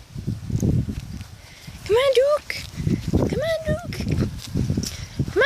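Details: Outdoors, playing German Shepherd puppies aged five weeks let out several short arched yelps and whines, a quick pair followed by a longer wavering one, amid shuffling paws and rustling ground.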